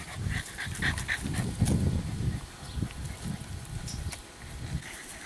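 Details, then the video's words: Snuffling, grunting breaths from Meredith, a rare chocolate tri English Bulldog puppy, 11 weeks old, in short irregular low bursts about twice a second, with a stronger snort mid-clip. "meredith chocolate tri english bulldog puppy"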